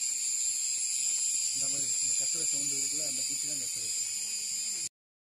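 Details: An Indian cicada's steady, high-pitched electric buzz drones without a break, with a man's voice briefly underneath.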